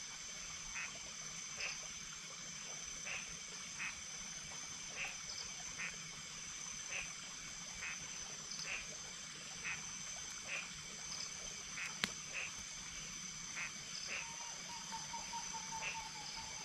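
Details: Small frogs give short, clicky notes about once a second over a steady insect drone at night, beside a flowing stream in the middle of a forest in cool weather.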